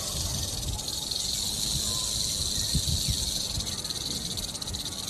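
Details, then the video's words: A rattlesnake's rattle, a continuous hissing buzz held at an even level throughout, with scattered low thumps and knocks underneath. "Rattlesnake Rattle Sound"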